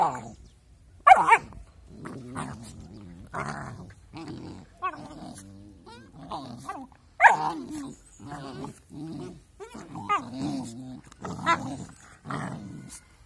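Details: Two puppies play-fighting together give a busy run of growls and short, higher yips, some with a tonal, whining edge, repeating every second or so with little pause.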